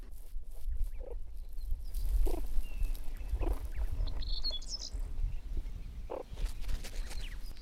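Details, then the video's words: In a group now only seven strong, the dominant female keeps making soft, short meerkat chirrups every second or so over a heavy low rumble, the contact call that keeps the group close so no one disappears. "Meerkats have many different calls, and the most widely used is a chirruping that makes sure that the group are all close and no one has disappeared."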